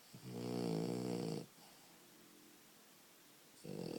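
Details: Sleeping French Bulldog puppy giving one loud, buzzy snore of over a second, then a long quiet gap before the next snore begins at the very end.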